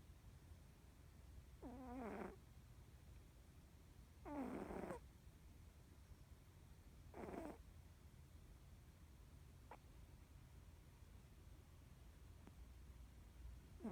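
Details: Sleeping Norwegian Forest Cat snores three times at roughly two to three second intervals, raspy wavering breaths, followed by quiet with a couple of faint clicks.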